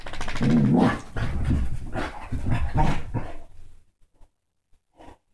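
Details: Basset hound and Dachshund mix dogs in rough play: a deep, rumbling continuous growl with pulsing snarls for about three seconds, fading to a few soft huffs.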